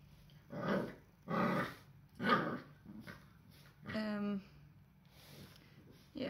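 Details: Diëgo, an eight-week-old Cardigan Welsh Corgi puppy, at play indoors and making mischief with belongings: three rough, growly bursts about a second apart, then a short, higher, tonal yelp. Quiet room background.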